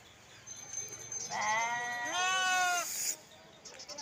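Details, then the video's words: Lamb bleat: a single long, strongly harmonic, quavering cry lasting about one and a half seconds, rising slightly in the middle, over quiet background hiss. "Sound of Sheeps , Sheep sound , Lamb noises"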